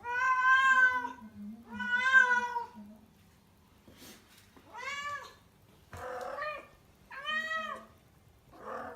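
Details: Indoor rescued cat in heat, booked for spaying, in Tendō, Yamagata, Japan: a string of loud, plaintive yowling meows, some bent and wavering, with brief rustles between calls and a faint background hum.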